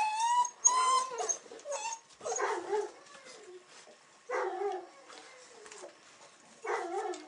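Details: Weimaraner puppies from the Cherry x King litter, day 42, filmed 8 December 2008: bursts of high, wavering whimpers and whines with bright harmonics, rising then falling, separated by short quiet gaps.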